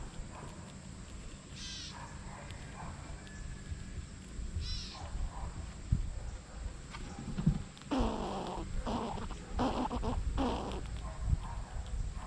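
A squirrel gives harsh, raspy bursts, first spaced apart, then in a quick run of scratchy calls.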